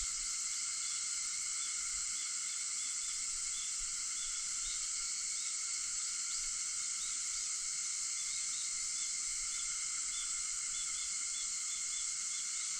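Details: August 4 cicadas just before dawn at 4:50, producing an even, high-pitched whirring hiss that never breaks, scattered light chirps riding above the drone.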